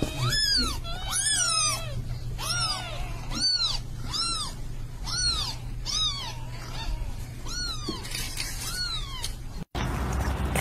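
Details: Mother cat with kittens giving a run of about ten clear, arched meows, each rising then falling, spaced roughly a second apart with rich harmonics, over a steady low hum; a short break near the end.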